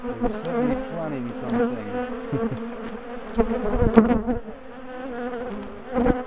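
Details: A large colony of aggressive garden bees drones in their top bar hive during dismantling for a split and move; the hum wavers in pitch and swells, with a few sharp taps of handling.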